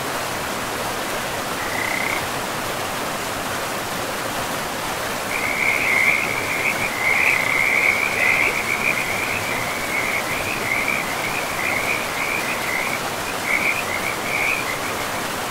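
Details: Frogs along a river deep in a pristine forest: one brief raspy note, then from midway a dense run of rapid grating pulses, about two and a half per second, over steady rushing water.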